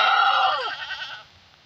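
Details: Mini Nubian goat that gave birth to triplets, filmed during the birth: one loud, strained, wavering bleat that tails off and falls in pitch, followed by quiet background.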